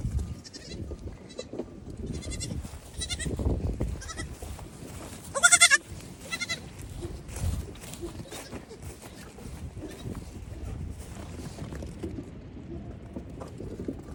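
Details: Young goat kids racing back and forth and hopping on everything in the evening while their mothers eat grain; several short, buzzy, harmonic bleats scattered through the clip, one loud and strained near the middle, with thumping, rustling footsteps throughout.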